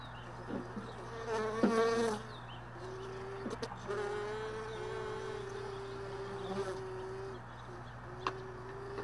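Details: Early morning honey bees near hive boxes from extracted supers left all day in a truck bed; one bee drones in a long even mid-pitched buzz, wavering briefly, with a few clicks and a constant low hum.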